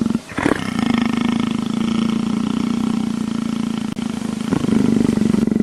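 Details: A leopard being scratched behind the ear, begging for affection like a tame house cat, gives a deep, continuous rumbling purr that pulses rapidly and steadily, broken by brief breaths.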